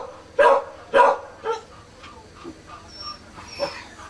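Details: Kishu puppies only four days old, born 16 September 2020, give two loud shrill cries in succession, followed by progressively weaker whimpers tapering off, with one last squeal near the close.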